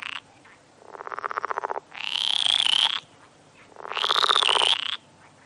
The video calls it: Frog sounds (compilation)